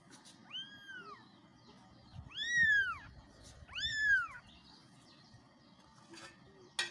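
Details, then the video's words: Baby cats meowing for mom, three arched kitten meows in quick succession, the second and third louder and longer, followed by quiet low rustling and a click at the end. "baby cats meowing for mom kittens meowing"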